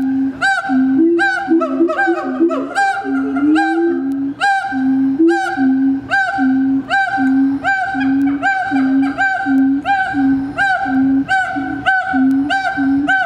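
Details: Two siamangs at Riverbanks Zoo sing their territorial duet, opening with wavering, rising whoops, then settling into loud, resonant barks and booms about twice a second, amplified by inflated throat sacs.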